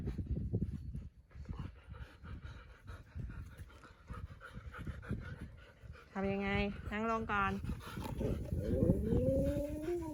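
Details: Pet Siberian Husky at home around New Year, with the household's bananas just finished: quick rhythmic low huffing pants, about three a second, for six seconds, then short tonal whines and a rising drawn-out whimper, with a woman talking in Thai.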